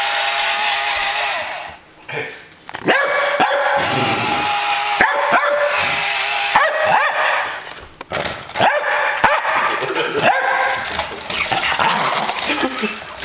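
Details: Mia, a pet dog, squares off in play against a Buzz Lightyear toy, giving rough, harsh barks and yips in quick irregular bursts with short gaps, over a steady noisy background and the toy's talking voice.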